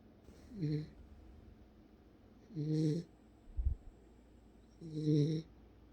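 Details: Deeply asleep Welsh Corgi gives three short rasping snores roughly two seconds apart, low and buzzy with a breathy hiss, plus a brief soft thump between the second and third.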